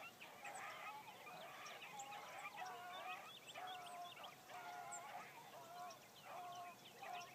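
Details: Hound pack baying while running game in the morning, including a new Blackcreek female on her first run; drawn-out bawling bays in repeated bursts, with overlapping voices and constant high chirping of songbirds in the background.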